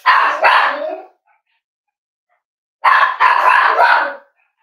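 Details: Cavalier King Charles Spaniel at Red Barn Cavaliers kennel, indoors in the kitchen; two loud bursts of sharp barking, each a quick double bark, separated by a pause of nearly two seconds.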